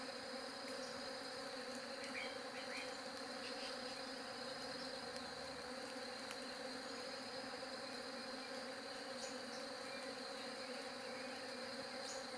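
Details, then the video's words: Bees droning in a constant, thick low hum with several stacked tones and a faint high whine, steady from start to finish with only light scattered ticks. "SOM DE ABELHA"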